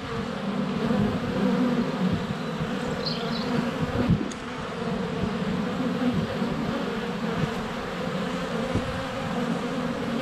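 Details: Honey bees in flight around the hive entrance on a sunny February day, GoPro Hero 7 Black recording: a steady rich hum, a knock as a bee touches the camera, and short faint bird chirps early on.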